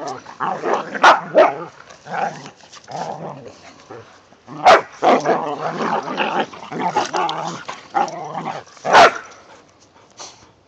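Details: Playful growling and barking from whippets romping with a rat terrier in the season's first light snow. A near-continuous run of rough growls is broken by several sharp barks.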